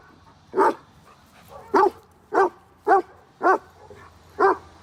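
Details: Mila, a 14-month-old German Shepherd, during a two-week board-and-train programme, gives six short, sharp barks spaced roughly every second over five seconds, with a faint low hum behind.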